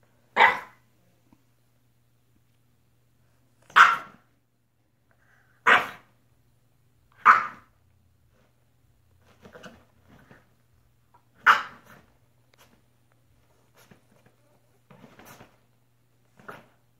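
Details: Fiona, a French bulldog indoors, barking while playing alone; sharp loud single barks spaced a few seconds apart, about six strong ones with softer grunts and short yips between, in a quiet room.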